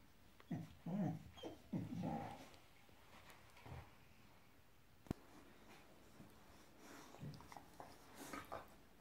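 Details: Five-month-old Boxador puppy, female, growling inside at her new Pinky Pig toy: a cluster of low, throaty growls and huffs early on, then scattered softer grumbles and small knocks in a quiet room.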